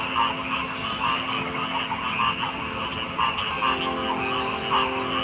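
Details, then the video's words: Frogs croaking in a chorus: short, rounded croaks spaced roughly a second apart over a steady droning hum and a constant high hiss. "Frog Sounds"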